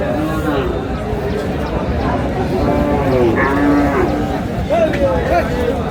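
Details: Thin cows for sale at the Aftabganj haat, Dinajpur, Bangladesh, 9 August; several short, low drawn-out moos around the middle and end, over a steady din of market talk and haggling.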